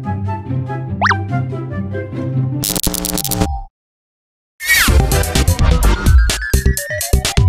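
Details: Playful electronic music with boing and plop sound effects is broken by a second of silence, and no animal sound is heard.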